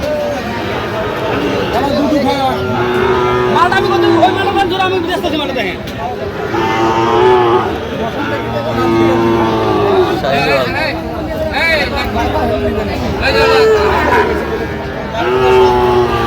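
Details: Sahiwal bull calves at a cattle market in Jamalpur, Bangladesh, on 31 August 2025: long, drawn-out lowing moos, three of them spaced a few seconds apart, heard over steady chatter of buyers and traders nearby.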